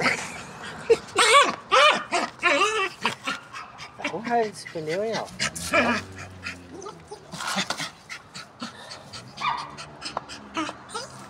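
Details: Jagdterrier named Alfa, furious at a tyre, giving strained whining and growling yelps with wavering, arched pitch, bursts packed closely at first then thinning out, while a man talks to it in Portuguese and laughs.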